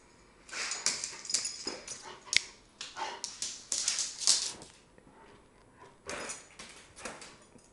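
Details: A pet dog named Bane, in a Florida Avenue apartment, excited as he gets before and after a bath: dense bursts of high, breathy whining and yipping sounds packed together for about four seconds, a short pause, then another cluster of bursts.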